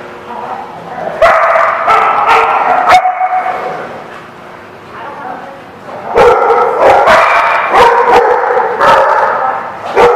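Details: Dogs at The Barking Lot, recorded 16 September 2016, bark in loud harmonic bursts clustered early and late, some yipping and whimpering between, with a quieter stretch mid-way and human speech mixed in.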